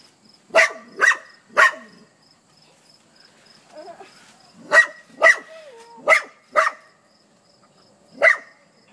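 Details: Dog barking at a hedgehog: sharp, loud barks in irregular bursts, three quick barks, a pause with faint whining, then four more barks and a final single bark.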